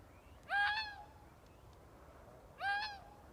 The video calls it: Weird fox noise